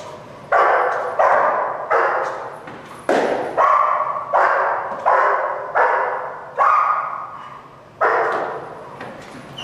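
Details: German Shepherd Dog named Malachai barking during Schutzhund protection training, February 28th 2010: loud, harsh barks repeated roughly every second in a steady run, each one clipped and forceful, with no other clear sounds.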